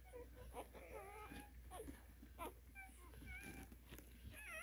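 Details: A litter of eleven newborn Cane Corso puppies, five girls and six boys, in the United States, filling the air with many overlapping high squeals and wavering whimpers, some sliding up and down, over a steady low hum.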